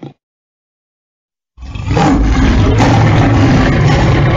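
After a brief silence, a lion lets out a deep, rumbling roar that stays loud and gravelly to the end.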